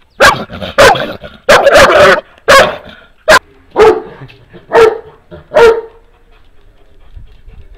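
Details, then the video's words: Two Šarplaninac dogs bark together with deep, forceful barks in loud bursts with short pauses, the barks at times syncing into a rhythm. "How Loud Can Two Dogs Get? Hear Their Crazy Barking!"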